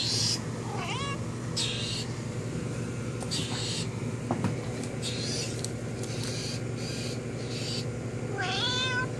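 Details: Domestic cat indoors meowing at a friend outside the window: a rising then falling harmonic meow near the start and another drawn-out meow near the end, with a steady low hum and faint hissy bursts between calls.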